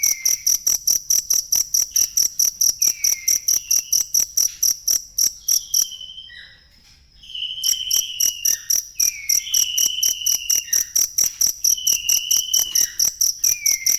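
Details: Cricket chirping, recorded for training songbirds: shrill, high pulses repeated steadily a little over twice a second, with a short quiet gap around the middle and fainter lower whistled sweeps scattered through.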